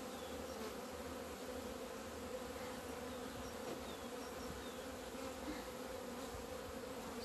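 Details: Winter's end at the hive, 17 February 2020: a beekeeper's honey bees out in the sun after two months; a steady, thick buzz of many insects, with very faint high chirps in the background.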